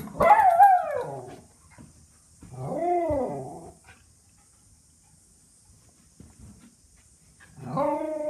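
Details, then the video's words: Miniature Schnauzer Maisy, a pet dog, barking from excitement when she expects food or a walk: three drawn-out, whining bark-howls that rise and fall in pitch, the first at the start, the second near three seconds, the last at the end, with quiet gaps between. "Miniature Schnauzer barking"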